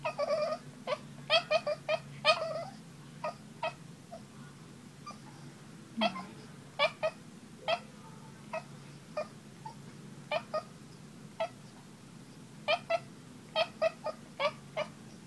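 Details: Boston Terrier; talking vocalizations; wanting to play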